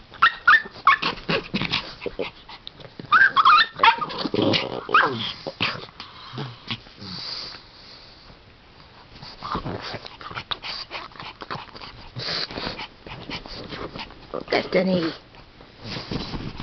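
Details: Three dogs at play: Destiny the Pomeranian, Kleopatra the Pug and Buddy the Shih Tzu. Bursts of high yips and short barks mix with whimpers and low growls, amid scuffling and thumping from the rough-and-tumble.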